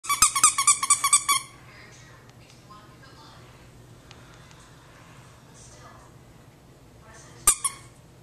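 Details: Jack Russell Terrier. A Jack Russell Terrier puppy lets out a rapid string of shrill, squeaky yips over about a second. A long hush follows, broken near the end by one sharp click and a brief squeak indoors.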